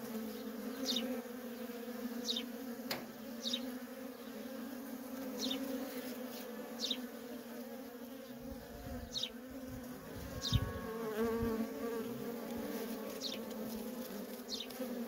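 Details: Worker honey bees in nonstop traffic at a feral colony: a steady, layered droning hum, with brief whooshes of single bees flying past the microphone, and a rumble near the end.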